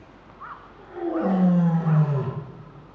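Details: A lioness at Higashiyama Zoo, filmed 22 February 2023, gives a deep, throaty moan that slides downward, responding to her son's voice from indoors.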